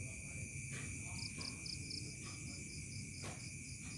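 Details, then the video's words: Crickets at dusk turning to night in a remote village: rapid, evenly pulsed high chirps in short bursts over steady shrill trilling bands, with a low background rumble throughout. "SUARA JANGKRIK SENJA MENJELANG MALAM"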